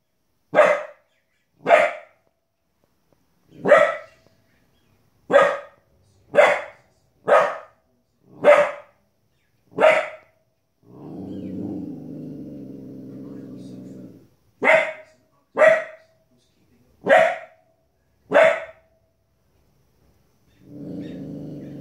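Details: Indoor Border Collie puppy aged 15 weeks barking at TV wolves: a run of ten quick sharp barks, a pause filled by low humming TV sound, then four more barks and the TV noise returning.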